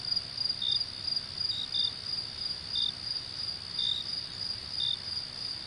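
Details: Crickets calling at night: a steady, shrill high trill runs throughout, with brief lower chirps popping in at irregular spacing, roughly one per second, about six in total, over a faint low rumble.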